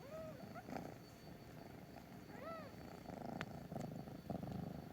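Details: Cats in the morning: two short, soft, high mews, arched in pitch, sound at the start and midway, over steady low background rumble and faint rustling.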